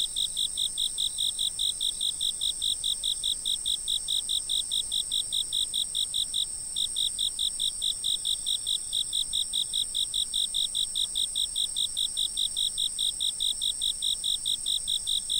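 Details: Insect calling outdoors before a fixed camera: a long, regular train of high, clipped chirps at about five per second, broken once by a brief gap, over a steady high-pitched insect chorus.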